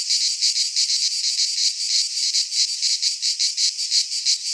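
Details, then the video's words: Greek pine-forest cicadas in midsummer: a piercing, electric-sounding buzz beating in clear regular pulses about three per second, steady and uninterrupted. "Cicadas singing in midsummer - Nature sounds from the Greek fauna - Sounds of cicadas"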